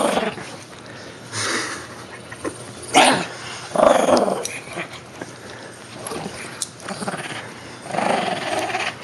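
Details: Joey, a Shih Tzu, wrestles a toy whale inside a room, letting out throaty growls in several bursts separated by short lulls, a person speaking faintly in the background.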